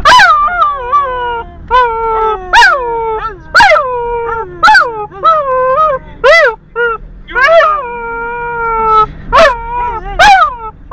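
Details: Singing Border Collie producing a run of short howls, each a quick rising yelp that settles into a falling, wavering tone, repeated roughly every second with a few longer held notes.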